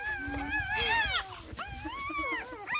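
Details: Newborn puppies of the dog Misty, just whelped and lying with their mother, give overlapping high, wavering squeals and whines that rise and fall in quick arcs, several pups calling at once with a soft voice murmuring nearby.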